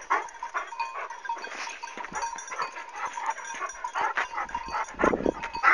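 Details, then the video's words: Kangal dog attacking its owner while a white dog steps in to rescue him, in a dog scuffle: harsh overlapping snarls and growls with sharp bark bursts, loudest near the end, over a steady background hiss. "Sahibine Saldıran Kangal Köpek"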